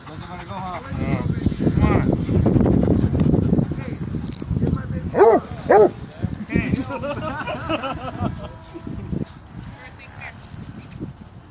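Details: Basset hounds at a dog park: two loud, harmonic barks about half a second apart stand out from a busy background of people talking and crowd noise, with fainter barks and yips before and after.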